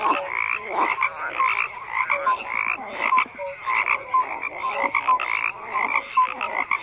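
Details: Dense frog chorus of overlapping raspy croaks, with short clear whistled notes scattered throughout and a pulsing, uneven rhythm of many callers at once.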